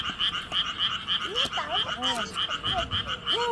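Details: Frogs greeting with song: a steady train of short, bright pulsed notes, about three per second, overlaid with sliding, swooping calls and a brief laugh from people nearby.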